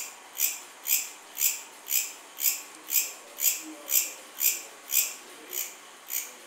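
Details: Cricket giving evenly spaced, piercing high chirps about twice a second, each short and bright, over quiet faint background noise.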